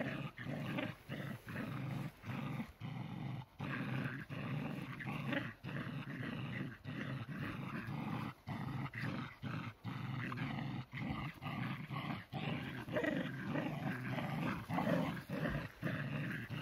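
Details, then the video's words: Playing tug of war, tricolor shelties Cherry and smaller Sammy keep up a long stretch of low, gravelly growling, chopped into uneven bursts by frequent short pauses. "tricolor shelties in a tug of war. Shelties Cherry&Sammy playing"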